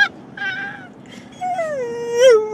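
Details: Phoebe, an English Springer Spaniel who usually "says I love you" at home, gives drawn-out, tuneful whines that bend and waver like a crooned phrase, singing along to a song during a road trip.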